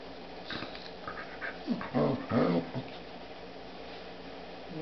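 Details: A dog playing with a new puppy indoors makes short, rough growling yips around the middle of the clip, rising and falling in pitch. A lower rumble runs underneath.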